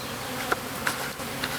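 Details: A honey bee swarm, dropped from a Ginkgo tree about 25 feet up in a yard, gives a dense, steady, low droning hum broken by a few sharp taps as the bees march into a hive box.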